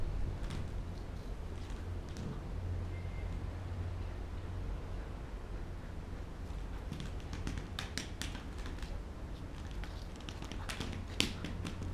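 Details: Low indoor hum with scattered clicks and clattering taps from play, and a brief faint tone; no clear animal voice.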